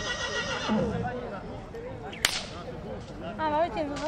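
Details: Horse at Țibeni, Suceava, Romania: a short quavering whinny with a wavering, trembling tone near the end, after a sharp crack like a whip snap midway, with people talking and hoof clatter around it.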